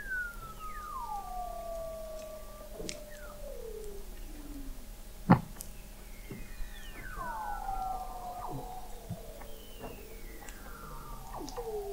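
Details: Weddell seals calling beneath thick sea ice at McMurdo Sound, Antarctica, November 2017, captured by an observatory 21 m below the ice: long falling whistles glide downward and overlap, with a sharp broadband click midway and brief chirps.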